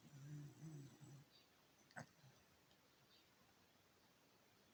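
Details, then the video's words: Senior Beagle sleeping and snoring blissfully indoors: one low, harmonic-rich snore rumbles for about a second, followed by quiet breathing and a soft click amid faint room hush. "SENIOR BEAGLE SLEEPING AND SNORING BLISSFULLY"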